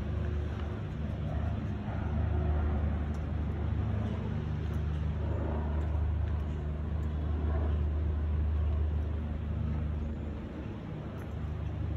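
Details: A low, rumbling drone of passing road traffic fills a park walk, with faint murmurs and no animal calls.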